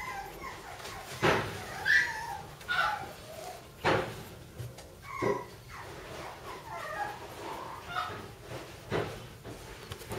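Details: Cairn Terrier puppies, a group of littermate siblings, giving short high whines that rise and fall, broken by sharp yips and knocks at uneven intervals indoors.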